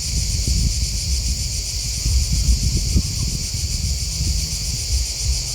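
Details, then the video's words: Crickets chirp in a dense, unbroken high-pitched chorus of shimmering trills, layered over a low, gusty rumble like wind and rustling leaves outdoors. "Crickets Chirping Sound"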